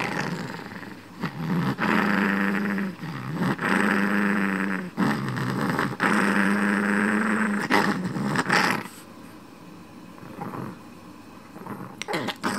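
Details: Kuromame the smooth Chihuahua, a shop dog, growls after snatching a pen cap: three long, steady, low throaty rumbles, each a second or more, then the noise fades into quiet room sounds.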